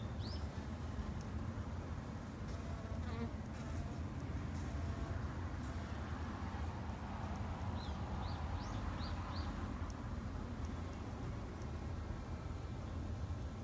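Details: Japanese honey bees from a garden-kept colony in Japan, a steady low droning hum of many bees throughout, with a few short high bird chirps near the start and again around nine seconds.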